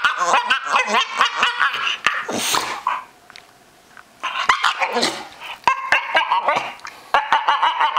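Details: Odd vocal sounds from a pet Staffordshire Bull Terrier: rapid chains of short yelping, grumbling bursts, a brief silent pause, then more choppy whines and yips in quick succession.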